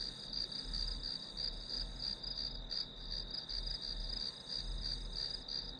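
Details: Grass insects chirring as white noise for studying. A bright, continuous high trill beats in quick pulses and swells slightly every second or so, over a soft low hum.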